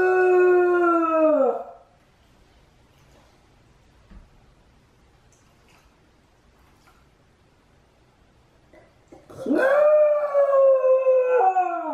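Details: Repeated howling from Chame, a Shiba Inu minding the house alone during Mame's walk: a sustained tone sliding downward and fading, several seconds of near-silence, then a fresh howl swooping up and holding a steady, slightly wavering pitch.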